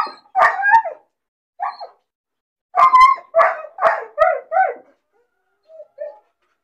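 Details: Lonely puppy, bored in its cage, barking and crying: sharp yelps, a pause, then a burst of five quick whining barks, and two soft whimpers trailing off at the end.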